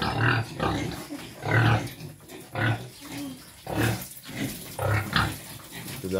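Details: Quezon black pig, a native pig, grunting while being fed: deep, short grunts repeated roughly every second, with people talking nearby.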